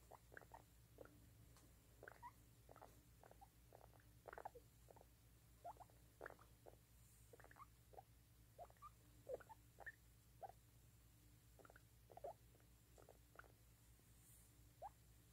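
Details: A baby guinea pig gives quick, soft squeaks in irregular bursts over a low steady hum; guinea pig.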